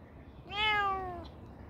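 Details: One rescued cat gives a single clear meow lasting under a second, bright and harmonic, rising slightly at the start then sliding gently downward, over a quiet low hum.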